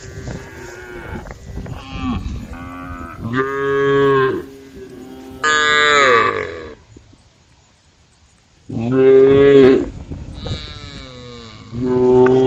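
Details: A group of cows roaming a road call the herd, mooing loudly in long, harmonic-rich calls that swell and fade, with short quiet gaps between.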